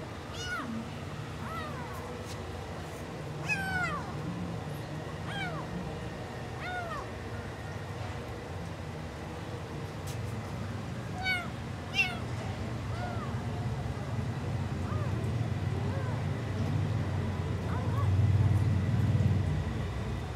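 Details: Stray tuxedo kitten, found abandoned in the street on 24 May 2024 and adopted, tasting chicken for the first time; several short, high mews arching up and down, scattered over steady low rumbling background noise.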